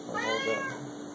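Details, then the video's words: A six-year-old male Siamese cat gives a single drawn-out harmonic meow indoors, rising and then falling, over a low steady hum. "Siamese cats are beautiful, smart, and LOUD!!"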